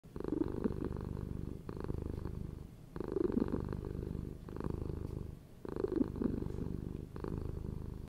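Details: Domestic cat purring close up: a steady low rumbling purr in rhythmic bouts of about one to one and a half seconds, each breath cycle separated by a brief softer dip, continuous throughout.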